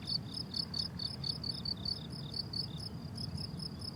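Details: Crickets calling on a blooming summer meadow: rapid, regular high-pitched chirps in short pulsed bursts, several insects overlapping, over a soft low rumble of wind or distant background noise.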